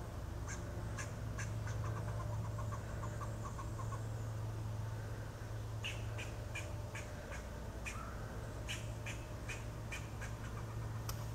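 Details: Eastern gray squirrel treed by Miley, a golden retriever, giving alarm calls: short, sharp clicking chucks in quick uneven runs, roughly three per second, with pauses between bursts, over a steady low hum.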